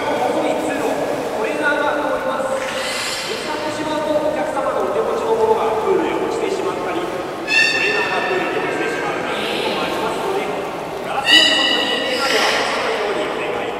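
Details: Beluga at Port of Nagoya Public Aquarium's 13:30 public training session on 18 July 2016, giving wavering whinnying calls and two sharp, harmonic-rich squeals near the end, over steady talking in a reverberant indoor space.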